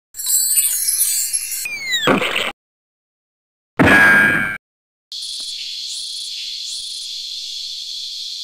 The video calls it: Cicada Calling Molting And Making Love On The Tree